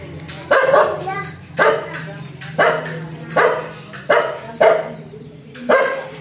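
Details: Fierce, aggressive dog barking repeatedly, seven strong harsh barks spaced roughly every second, each a loud broadband burst over a steady low background hum.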